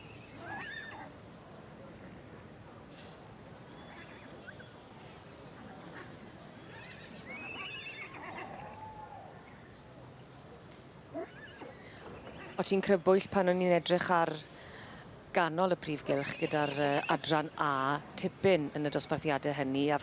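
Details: Welsh Cob from the two-year-old filly or gelding class. After about twelve seconds of quiet background murmur, loud, tremulous whinnies break out in several wavering bursts that rise and fall, with short gaps between them.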